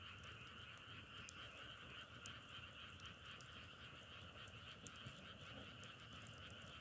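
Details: Frogs produce a throbbing chorus in which the trill band pulses slightly rather than staying perfectly smooth. Light crackling pops sound over the top, with a low background rumble.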